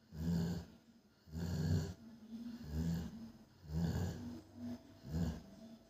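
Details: A sleeping female Rottweiler snores deeply, each low rumbling breath coming about every second and a quarter.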